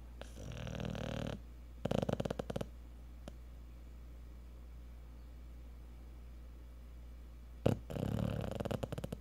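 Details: A Cocker Spaniel, asleep after a hard day at the park, gives deep, fluttering, rattling snores about a second long, with quiet breathing filling a long gap between them.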